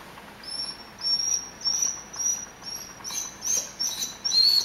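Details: Tim, a male Rhodesian Ridgeback kept as a pet, begs in whine mode at the smell of ground beef cooking: a steady run of high, thin whined notes, one about every half second, growing rougher toward the end.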